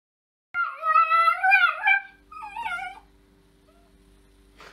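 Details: Female West Highland White Terrier living in Germany, giving a long drawn-out whine with wavering, rising and falling tone, then a shorter second whine before falling quiet, with a faint low hum in the background.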